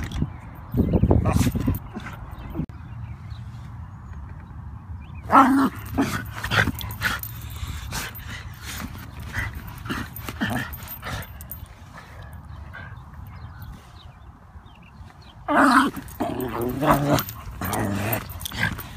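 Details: Wire Fox Terrier eager to leave its stroller and confront geese; three separate bouts of rough, excited barking and yipping, near the start, in the middle and near the end, with rolling and rustling noise between.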